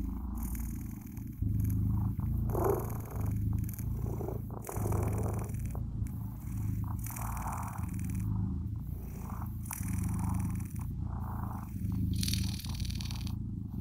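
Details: Soft rumbling purr of blue British Shorthair kittens, pulsing with each breath, with intermittent hissy rustles and handling sounds.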